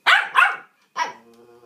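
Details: Dog barking in demand to get out of its house: two quick loud barks in succession, a pause, then a third bark trailing into a soft whine.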